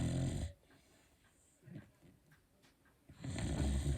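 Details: A Beagle dozing peacefully lets out two heavy, throaty snores, one at the start and one at the end, separated by about three seconds of near silence with faint breaths.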